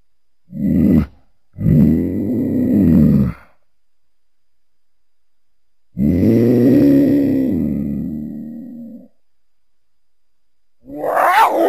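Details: Mountain lion producing deep, rough, harmonic growls and moans, two shorter bursts then a longer drawn-out groan of about three seconds, ending with a higher raspy snarl.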